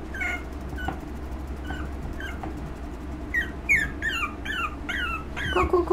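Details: A female puppy one month old, recorded 17 August, makes scattered faint whines, then a rapid series of sharp, downward-sliding yelps over the last three seconds. There is a constant low background hum.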